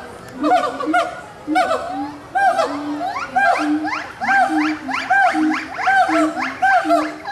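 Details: Gibbons at Animal Kingdom, Walt Disney World, 2018, calling to each other. Hoots build into a faster run of sweeping, upward-gliding whoops that climb and accelerate, loud and resonant, with a sustained low tone running beneath.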